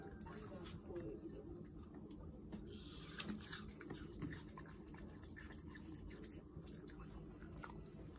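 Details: A Shiba Inu eating an apple, with soft, moist crunching and chewing noises running steadily through the clip, plus a person's voice speaking quietly nearby.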